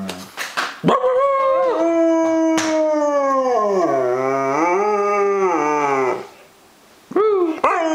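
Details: A female German Shepherd gives a long, wavering howl that slowly sinks in pitch, framed by short yips.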